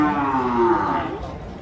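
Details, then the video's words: Enraged cow after unloading from a truck, as people prepare to tie it up: one sustained, steady, harmonic-rich moo that slides gently downward, with voices faintly behind. "SAPI NGAMUK SERANG WARGA PAS TURUN DARI TRUK"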